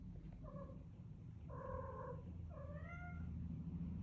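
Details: A pet cat calling in the morning: three short, nasal meows about a second apart, the last one bending upward then falling, over a low steady household rumble.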